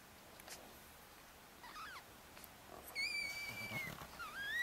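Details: Four-day-old Chihuahua puppies with their mother Bess, a litter of four males and one female in Fredericksburg, Virginia. Faint early squeaks give way to a long, steady high-pitched squeal, then a rising cry at the end.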